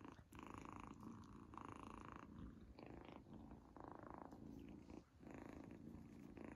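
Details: Izzy the kitten, enjoying her very first treat, gives a loud rhythmic purr that swells and fades in pulses about every second, with a brief pause near the end.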